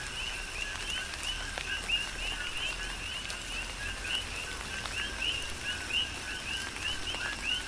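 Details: Rain-soaked night chorus of coqui frogs, Big Island, Hawaii: crisp upswept chirps following lower notes, several frogs calling in quick succession, a few louder nearby, under constant patter of rain and raindrops.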